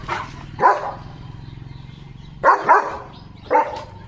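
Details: Leo, a German Shepherd dog, excited at home before a sealed parcel box is unboxed, gives four short, harsh barks, two of them in a quick double, with a low steady hum beneath.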